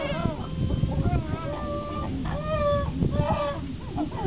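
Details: Chimpanzee group calling as Higgy, upset, has a little fight with Juniper: tonal wails and held, even-pitched screams, some stepping up and down, overlapping one another above a steady low rumble.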